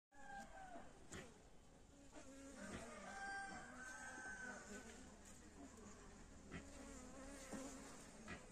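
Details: Honey bees buzzing in a steady, continuous low hum with wavering overtones for the whole stretch, broken by occasional sharp clicks and a few brief faint tonal sounds in the background.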